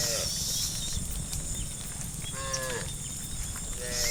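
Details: Tame cows heading through forest toward the farm pen in the afternoon, three short, fairly faint moos spaced across a few seconds, partly masked by strong low rumble and high hiss.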